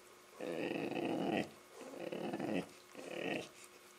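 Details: A Labrador Retriever, playing with a Rottweiler puppy, gives three drawn-out, rumbling play growls, each about a second long.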